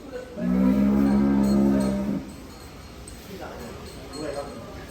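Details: Cattle in a pen holding a thousand head at Sumber Ternak Farm. One low, steady moo with a rich tone lasts nearly two seconds, then gives way to quieter barn noise and faint background sounds.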